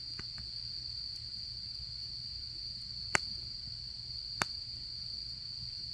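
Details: Continuous high, even insect trill of an autumn evening at a campsite, broken by two sharp pops from a crackling campfire.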